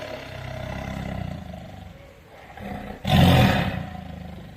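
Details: A tiger, called over to eat its food, gives a single deep, gravelly roar near the end after a few seconds of low rumbling background.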